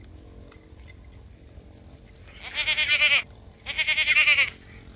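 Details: Young goat kids playing wildly in the afternoon; two loud, high, quavering bleats, each lasting about half a second to a second, separated by a short pause, over faint background clicks and a quiet low hum.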